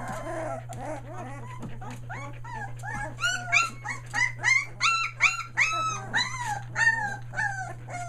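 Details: Australian Shepherd puppies about three weeks old in Mooresville, North Carolina, calling in a quickening series of high, arched whines, roughly three per second, building louder toward the middle, with a low indoor hum throughout.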